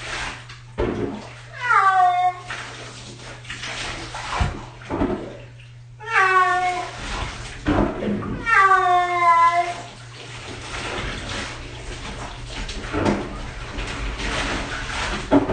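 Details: Six-year-old cat during its first bath, giving three loud, drawn-out, wavering meows that slide downward in pitch, spaced several seconds apart, amid splashing water, handling noises and a steady low hum.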